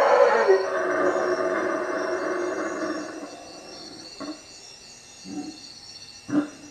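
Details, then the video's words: Howler monkeys roaring at night in the treetops above a hut at Lake Peten Itza, Guatemala: a deep, rasping roar held for about three seconds, fading into quieter gaps broken by three short grunting bursts, with a steady insect hum overhead. "Howler monkeys at night"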